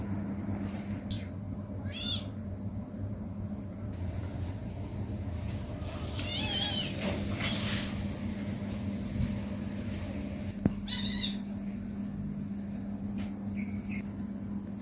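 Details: Pet kitten at play, letting out a few scattered short meows separated by quiet gaps, with a continuous low electrical hum and faint rustling underneath.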